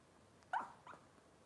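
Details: Cavalier King Charles Spaniel puppy from Robin's litter, indoors on a kitchen cam: a short high yelp followed a moment later by a softer second squeak, against quiet room hiss.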